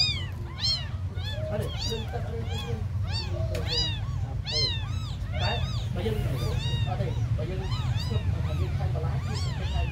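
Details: Several tiny abandoned kittens mewing nonstop, thin high arched cries overlapping and repeating several times a second, some rising then falling, over a steady low rumbling hum.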